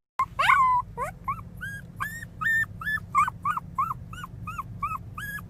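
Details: Miniature Pinscher puppy crying loudly: a rapid series of short, high whimpering yelps, each rising and falling, about three per second, starting with a longer wavering squeal, with low background hum.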